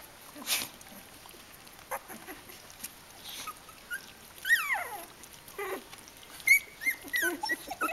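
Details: Three-week-old Kooikerhondje puppies from a litter: scattered high, thin squeaks and whimpers, some sliding downward, a cluster of rising-falling yelps after the midpoint and short piping squeaks near the end, over a quiet background.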